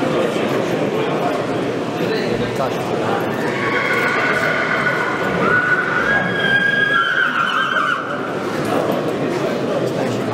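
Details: Polish Coldblood stallion Monar, born 2020, by Gabor from Mona, gives a drawn-out, gently wavering whinny midway through, partly buried under constant human conversation.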